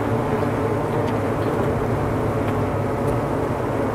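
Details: A honeybee colony in its winter cluster buzzes as a mass, making a thick, unbroken, level low drone with no breaks and no single insect standing out.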